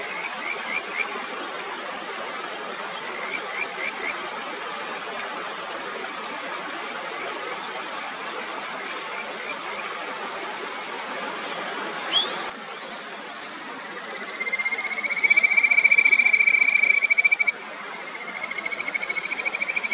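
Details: Kajika frog on the clear upper Natori River, Sendai, Japan: after long stream rush, a bright rapid trill of high pulses rises from about fifteen seconds, preceded by a sharp click and faint high chirps.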